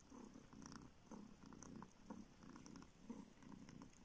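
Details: Purring of a young kitten sucking a finger for milk, a former street stray now kept in a village in northern Siberia; steady low throbbing purr pulsing about once per second, with soft smacking clicks above.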